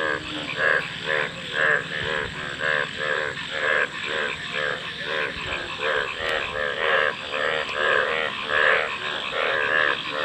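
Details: Frogs call in a dense, unbroken chorus of grating, rattled croaks, many voices overlapping in a quick pulsing pattern, with a faint steady tone and hiss behind.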